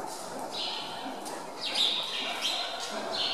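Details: Hungry meerkats at Zoo Augsburg, fed chicks and chasing each other to steal the food, give high, thin squeaky chirps in short overlapping bursts against a soft murmur.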